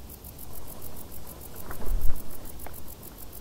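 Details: High rhythmic chirping of crickets in tall summer grass, pulses evenly spaced, while low thumping rumbles swell in the middle.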